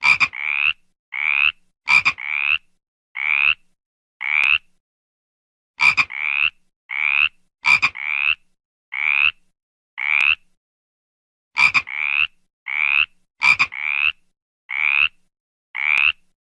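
A frog gives short, nasal croaks in quick bursts, each group led by sharp clicking notes.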